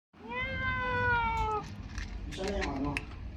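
A young Persian kitten gives a long, high, slightly falling mew, then a shorter wavering cry.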